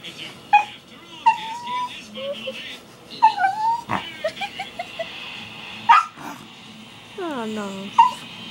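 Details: Pet miniature schnauzer crying while begging to be allowed on the bed; a run of short high whimpers and drawn-out whines, some sliding downward, with yips in between and a faint steady hum behind.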